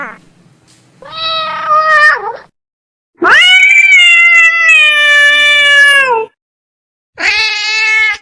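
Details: From a baby cat compilation, a cat gives loud, drawn-out meows: a wavering one of about a second, then a long three-second wail that slowly falls at the end, followed by a shorter bright meow.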